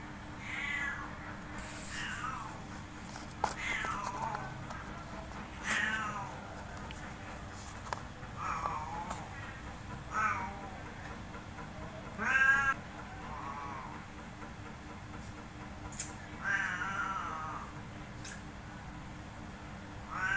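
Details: Big and small pet cats at play in a front yard cage, meowing repeatedly: about eight short rising-falling harmonic cries spread over twenty seconds, some sharp and high, with faint clatter and low hum behind.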